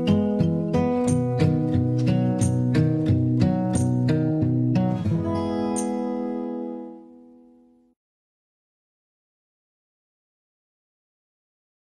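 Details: Plucked acoustic guitar strums in a steady rhythm, ringing out and fading into silence after about seven seconds, with no animal sound heard.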